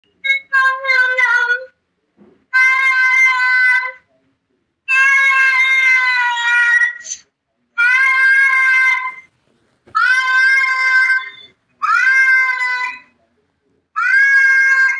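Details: Cat meowing in a way said to sound like it is shouting "baba". Loud, drawn-out, harmonic meows, each one to two seconds long, repeat about every two seconds with short silences between them.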